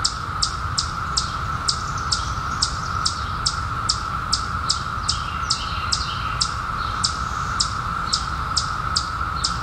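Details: A steady cicada chorus drones without pause, made by periodical cicadas that surfaced in 2021 after a 17-year hiding. A sharp, high ticking chirp repeats roughly every half second on top.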